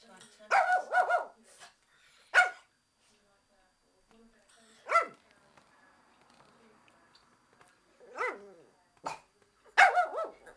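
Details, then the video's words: Japanese Chin, indoors, barking at the window cleaner: sharp, harmonic yaps in a quick double burst, then single barks spaced a few seconds apart, with a final cluster near the end. "Japanese chin barking"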